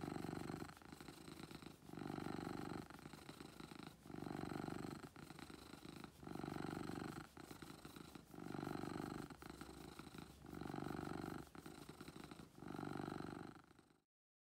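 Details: Pet cat Beetle purring loudly, low vibrating drone in regular breath-length bursts of about a second and a half with brief lulls between them, ending abruptly near the close.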